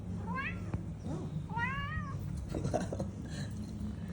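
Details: Talkative domestic cat meowing twice about a second apart, each call rising then falling in pitch, followed by soft clicks, rustling and faint background murmur.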